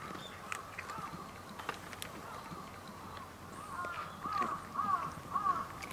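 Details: Cats on Japan's Cat Island swarming from all directions in a village to be fed, some fighting among themselves; after a quiet start, a few short arched mewing calls come near the end over soft rustling and faint outdoor background.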